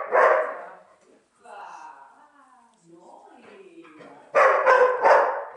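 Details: Neo, a young dog on his first sheep-herding day, barking out of annoyance at the stick; one loud bark, a stretch of quiet talk, then three rapid harsh barks at the end.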